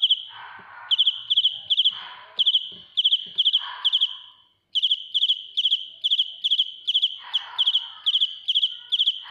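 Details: A cricket sings piercingly close to the microphone, shrill pulsed chirps coming in quick regular series, stopping for about a second near four seconds, with scattered rustling and handling noises below.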